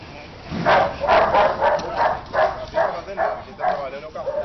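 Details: Belgian Shepherd guard dog during attack training, barking in a rapid run of about seven harsh barks over four seconds, with a man's voice mixed in.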